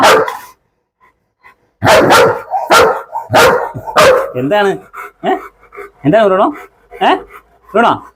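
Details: German Shepherd Bruno, on a leash in Perumbavoor, fires off a quick series of five or six hard barks after a short quiet spell, then people's speech takes over, mixed with a few more barks.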